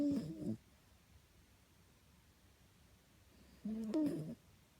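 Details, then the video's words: Bonjour the dog snoring indoors in winter 2015: two short, rough, low harmonic snore bursts about three and a half seconds apart, separated by quiet room tone. "Bonjour Snoring"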